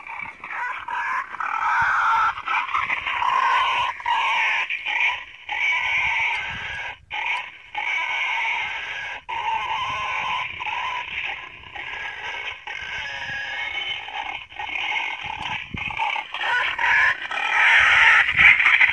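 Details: A wild boar call used by a hunter to lure boars to bait: a steady run of shrill, nasal squeals and grunts, broken about three times a second.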